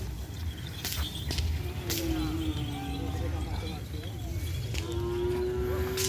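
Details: Cattle at a field during event preparations: two drawn-out, level moos, the first near two seconds and the second rising slightly near the end, over steady crowd murmur and scattered clatter.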